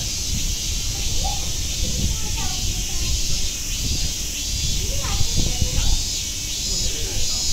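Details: Cicadas singing at Nogeyama Zoo, their even, hissing drone constant throughout while children's voices and crowd chatter rise and fall in the foreground.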